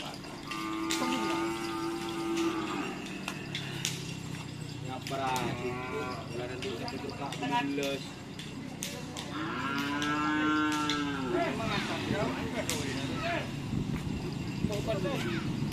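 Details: Cattle at karapan sapi bull race training in Asemanis, Pamekasan, a white bull among them: two long harmonic moos a few seconds apart, with background chatter, clatter and faint music.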